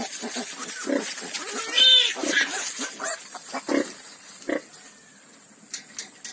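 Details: A farm litter of ten newborn piglets makes short soft grunts in an irregular stream, with one thin high squeak near the two-second mark and quieter snuffles afterward.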